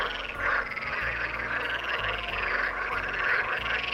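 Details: A dense chorus of frogs, possibly toads, at a forest lake near Unterstürmig, Germany, on 30 May 2023 in early summer, croaking together in a steady rattling din with no pause.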